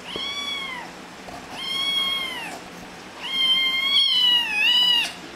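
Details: Domestic cat, one of the pets Tehya and Yeneos (Squeak), meowing indoors: four drawn-out, high, slightly arched meows, the later ones longer and wavering at the end, with faint room hiss behind.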